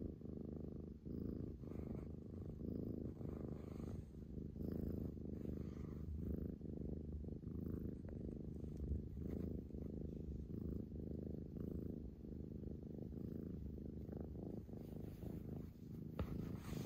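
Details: A female Scottish Fold cat, playful and attention-seeking, purrs steadily, a low rumbling throb that pulses with each breath, with some background noise; recorded 11 February 2021.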